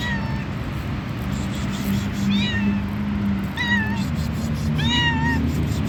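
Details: Hungry stray white cat, described as fat, meowing while being fed on the street: four clear, drawn-out meows, each bending down at the end, spaced about one to two seconds apart over a steady low hum.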